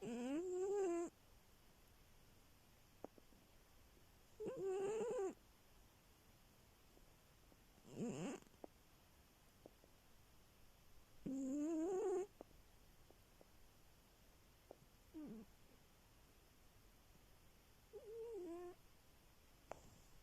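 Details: Cat asleep and snoring, loud whistly breath sounds rising and falling, each burst about a second long and repeated every three to four seconds against quiet.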